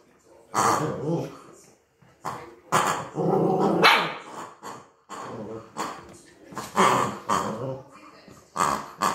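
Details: Cookie, a Maltese dog, alarmed by a first-time toy, alternates growling rumbles with sudden loud yaps, several barks bunched closely together, then spaced single barks toward the end.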